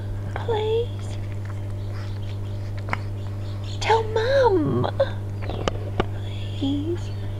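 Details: Pug puppy Bella-Rose crying to be let indoors for cuddles: thin, high whimpers, with one long wavering cry that falls away mid-clip and shorter whines on either side, amid a coaxing human voice and a steady electrical hum.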